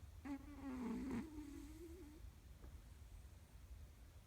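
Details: Hook, a three-legged pet cat, snoring comfortably indoors: a steady nasal tone held for about two seconds, slightly wavering in pitch, then fading into soft low breathing rumble.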